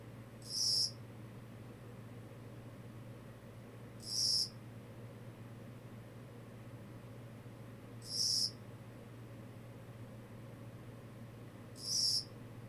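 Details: Kogata cricket calling: short, high, shrill chirps, each about half a second long, repeated roughly every four seconds over a steady low hum.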